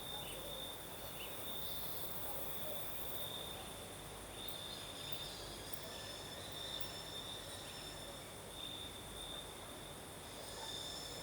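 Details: Crickets singing at night in southern Crimea during a night breeze: a steady, high, thin trill runs unbroken through the whole stretch, with slight swells, over a wide, rushing hiss of wind.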